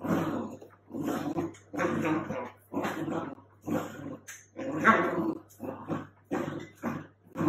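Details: Dachshund bitch tangled in a duvet at home, letting out about ten short, raspy growling grumbles in a steady rhythm, roughly one per second, against a faint continuous hum.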